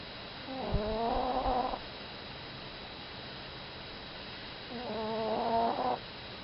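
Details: Sleeping Chihuahua named Mimi gives two nasal, buzzy snores about four seconds apart, each a wavering tone with a few faint clicks, over a steady low hum indoors.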